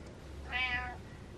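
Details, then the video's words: House cat Butters demanding that its owner get up, one bright meow of about half a second with stacked harmonics, a low steady hum in the background. "Cat Tells Dad To Get Up"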